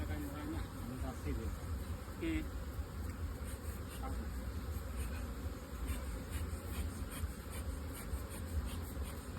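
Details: Beekeeping hives, modern two-storey boxes used for honey production, give off a thick, low buzzing drone throughout, while faint human speech surfaces in the first few seconds.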